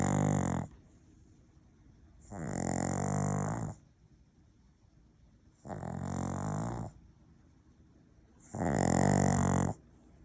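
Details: Maltese-Shih Tzu cross dog snoring steadily, four loud, coarse, rattling snores roughly every two to three seconds, each about a second long with a hissing overtone, quiet between breaths.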